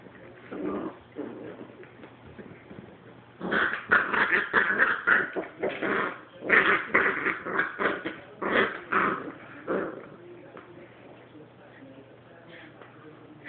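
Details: Katy, a puppy, turns on an older dog named Sophie: a soft growl at first, then a dense run of snarling growls and yaps from about three to ten seconds, fading to quiet near the end.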